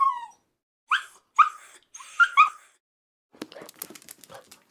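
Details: Puppy giving a short falling whine, then a pause and a few high yelping yips close together, followed by scratchy rustling noise.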